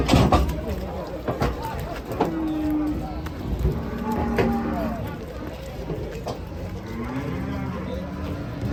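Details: Cattle lowing amid a busy setting: a few low, drawn-out moos with steady tonal bands rise through loud human chatter and background noise.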